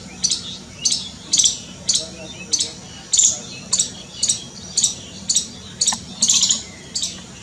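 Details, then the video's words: Scared squirrel giving sharp, noisy high chips about twice a second, each a short broadband burst, in an uneven steady series with faint low hum underneath. "Scared SQUIRREL making noise | squirrel's calling"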